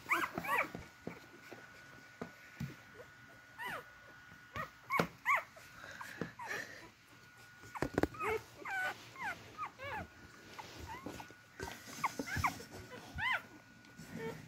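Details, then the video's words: Newborn beagle puppies searching for their mother's milk make repeated high squeaky whimpers and arched yelps in bursts every second or so, with rustling of bodies and a faint constant tone. "Sweet cute beagle puppies crawling around for their meal to get to their mother"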